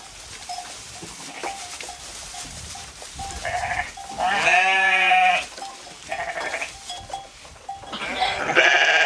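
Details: Sheep grazing in a field: one loud, drawn-out quavering bleat lasting about a second stands out among fainter, shorter bleats from other animals, over a constant faint tone and light rustling.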